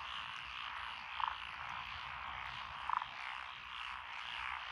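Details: Frog chorus from lotus rice paddies beside a country lane in Echizen, Fukui, Japan, recorded 12 June 2021, with Japanese tree frogs, pond frogs, wrinkled frogs and green tree frogs. Steady dense background croaking with two louder short pulsed bursts.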